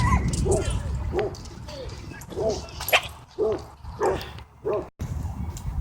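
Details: Dogs in an aggressive battle at a dog park that ends in a blindsided tackle. Short, harsh barks and yelps come in quick uneven bursts, about two per second, over rough background noise.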